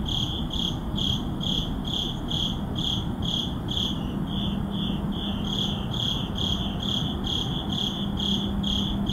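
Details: Midnight crickets in a city neighborhood give regular high pulsed chirps about twice per second, with a brief pause near the middle, above steady low-frequency urban hum.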